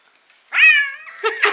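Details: Pet cat answering when his name is called in Korean, giving a single drawn-out meow that rises then slowly falls, ending in a few soft rustles indoors.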